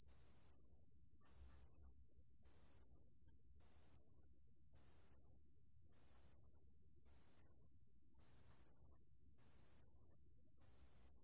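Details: Ten evenly spaced bursts of a pale bell cricket's song, recorded for the National Institute of Biological Resources in 2020; each clear, high-pitched ringing phrase lasts under a second, with short silent gaps, over a faint low background hum.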